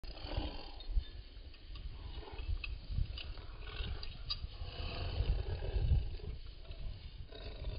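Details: Welsh Terrier puppy at playtime, giving low, rumbling growls in uneven bursts that swell and fade, with rough breathy noise between them.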